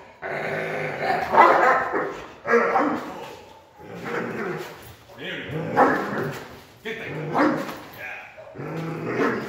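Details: Doberman barking aggressively during protection training, deep harsh barks in bursts roughly every one to two seconds, a man's voice talking over them indoors.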